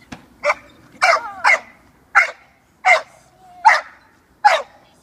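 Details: Six-month-old female American Staffordshire Terrier puppy during protection training with her handler, barking in sharp, high-pitched bursts, about seven barks spaced unevenly over a few seconds.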